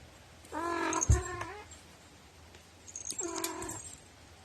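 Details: Domestic cat with a notably quirky, unusual meow, recorded 2018-04-21: two drawn-out harmonic meows, the first wavering and ending in a sharp accent, the second steadier and slightly falling, separated by quiet indoor background.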